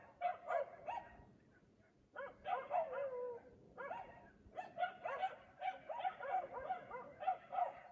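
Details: Night barking from a dog in Aliseda (Los Galaperos) at 3 AM, a nightly habit while the owners sleep: an opening flurry, a one-second lull, then almost continuous quick barks to the end.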